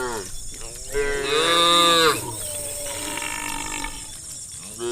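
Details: A herd of cows being herded to a livestock farm area at sunset gives long, harmonic-rich lowing moos one after another, some voices overlapping.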